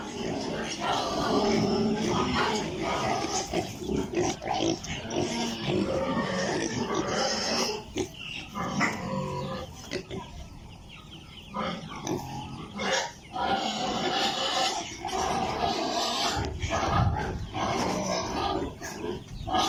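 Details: Piglets on a pig farm, apparently in Italy, keep up a long, noisy chorus of shrill squeals and rough grunts. The din swells and eases but never stops.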